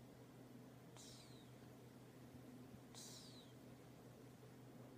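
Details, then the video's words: Two whistling snore breaths from a sleeping cat, hissy bursts with a downward-sliding high tone two seconds apart, low room hum throughout. "Do Cats Snore"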